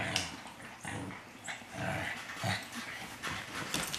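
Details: Shih Tzu puppies at play give short, rough growls and yips in quick bursts about every half second, mixed with scuffling and light knocking sounds.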